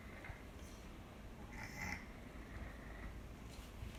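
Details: Tora, a domestic cat whose nasal stenosis returned after eight comfortable years following treatment, breathing: faint wheezy, whistling rasps near the middle of the clip over a steady low rumbling background, with a couple of softer breaths before and after.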